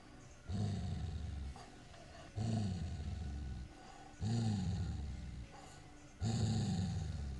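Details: Low, throaty growls from Sissy the Airedale Terrier while she plays with her new toy, four rumbling bursts of about a second each, repeating roughly every two seconds with short quiet gaps between.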